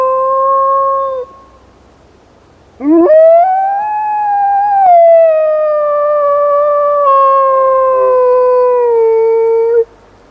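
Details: During an urban blizzard the black wolfdog Rosco P Coltrane gives a short level note, goes quiet, then launches a long howl that rises steeply, peaks, and drifts slowly downward for about seven seconds.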